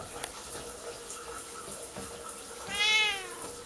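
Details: Siamese cat indoors, meowing loudly before its owner showers and trying to open the bathroom door; a single arched harmonic meow near the end, over steady hiss of running shower water.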